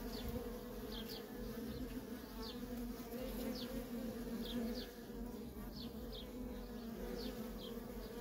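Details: Worker honey bees in nonstop traffic at a wild feral colony: a steady, dense hum with bands around the low-mid range, continuous throughout, with brief higher whirring streaks as individual bees fly past close by.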